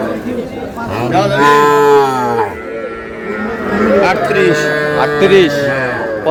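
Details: Sahiwal bull calf bought by a farmer in Brahmanbaria, Bangladesh, on 20 May 2026. Two long, deep, harmonic moos: one swells from about one second and fades by two and a half, and a second follows around four seconds. Background chatter and other cattle can be heard.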